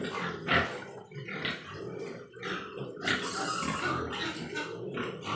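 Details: Grunting and squealing Large White Yorkshire pigs at a pig farm in Nadia district, West Bengal, several animals calling over one another in rough, irregular bursts with background pen noise.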